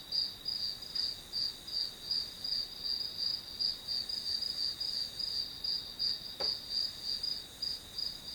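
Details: Grass insect sounds used as study white noise: a high, shrill trill throbbing rhythmically about three times each second, steady throughout, with a single brief click near the end.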